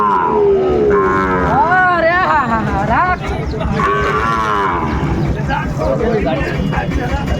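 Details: Sahiwal bull calves at a busy Manikganj cattle market, 30 December 2024. Bellowing moos, some sliding up then falling in pitch, follow one another closely, with people bargaining in the background.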